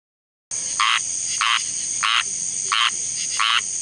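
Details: Squirrel treefrog calling in summer, stirred by thunderstorms: five short raspy, nasal calls spaced about two-thirds of a second apart, over a steady high-pitched insect drone.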